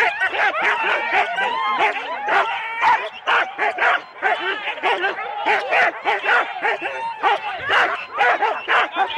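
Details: Four-dog Husky sled teams waiting at the start, Rendlesham, January 2016: a continuous din of rapid, overlapping barks and yelps, roughly two per second, with whining pitched above and human voices faintly underneath.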